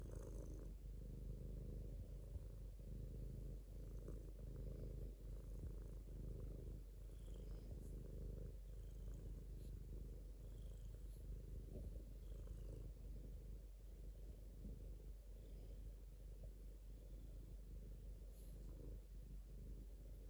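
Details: Sustained domestic cat purr, deep and rumbling, with breath-like swells roughly every second or two and faint rustling.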